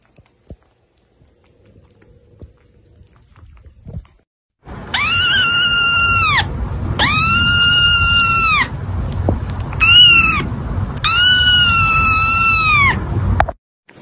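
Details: A male pet cat gives four long, drawn-out meows, each high and steady with a slight rise and fall, the third one short; a low hum runs beneath the calls.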